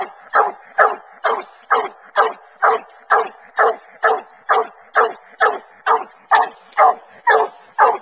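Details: Bluetick Coonhounds hunting raccoons, following a track through corn and treeing in the woods; clear, evenly spaced barks about twice per second, loud and steady across the short stretch.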